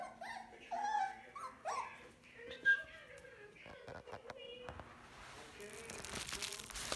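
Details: Indoor puppies at play with a squirrel ball let out several rising, whiny whimpers early on, then quieter yelps among scuffling and clatter, with a voice speaking and a hiss of noise at the end.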